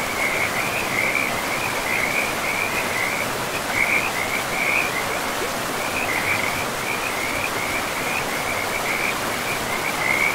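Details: Frogs calling beside a forest river: bursts of fast, rattling trills at a high even pitch, repeated every second or so throughout, set against a steady hiss of flowing water.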